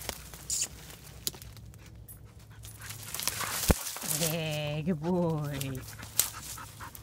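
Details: Hunting dog Flint bays at a fox squirrel it has treed in a tree ringed by briars: one drawn-out, wavering, moaning note that rises and falls over about two seconds. A man calls the dog, with rustling brush around.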